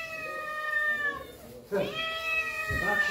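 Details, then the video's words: Pet cats excited for egg treats, calling indoors: one long, steady meow that fades out, then a brief gap followed by sharper, rising meows from more than one cat. "My cats are excited for their egg treats."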